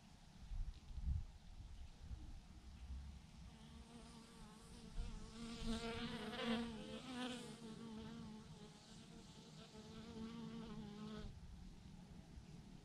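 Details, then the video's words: Thousands of honey bees clustered in a huge clump on a branch, buzzing together; dense layered hum with shifting harmonics that thickens in the middle, plus low rumbling noise underneath. "thousands of BEES hanging on a branch in a massive clump"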